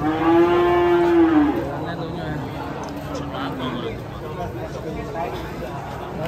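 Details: A cow hurt after slipping and breaking its leg lets out a loud, level moo just over a second long. The call fades into a quieter trailing low while murmured voices continue.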